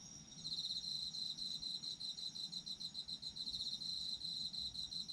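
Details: Autumn insects singing, a shrill pulsed trill starting after a brief lead-in and continuing rhythmically at high pitch with a softer overlapping chorus above, light low-frequency background noise.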